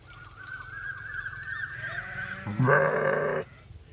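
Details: Sheep giving a loud, harmonic-rich bleat lasting under a second, preceded by a steady high tone and a low background hum.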